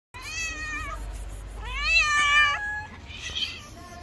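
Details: Two hungry stray cats living on the street meow loudly to ask for food: two long, drawn-out meows with strong bright overtones, the second rising then falling, followed by a shorter, higher cry.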